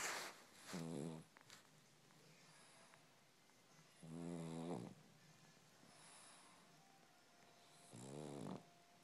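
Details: Pug named Molly purring like a kitten: three rattling, buzzy breath rumbles, each about a second long, repeating roughly every three and a half seconds, with quiet hiss between them.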